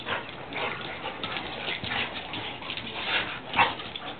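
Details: Kizzy, a Labrador, and Mollie, a Drentsche Patrijshond, romping in an empty garden; harsh, breathy play growls and short yips overlap in a steady, noisy jumble.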